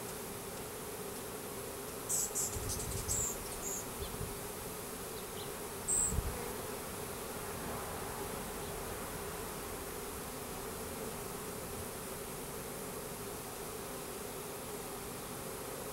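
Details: During April 2012 installation of a new hive, a three-pound package of Russian/Carniolan hybrid honey bees, about 10,000 with one queen, hums in a constant mid-pitched drone; a few thin high chirps and soft thumps appear in the first six seconds.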